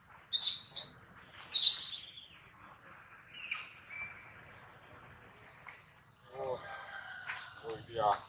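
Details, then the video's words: Adler, a baby monkey who misses his mom and is hungry, cries in the hands of a small monkey: two loud shrill screeches, thin whistled whimpers, then lower, rougher, descending wails. "POOR BABY MONKEY CRYING IN HANDS OF SMALL MONKEY BABY MONKEY ADLER MISSES HIS MOM AND HUNGRY"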